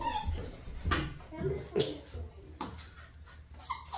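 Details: Puppies at play indoors give short, high whimpering yips in quick irregular bursts about once a second, with human voices talking faintly behind them.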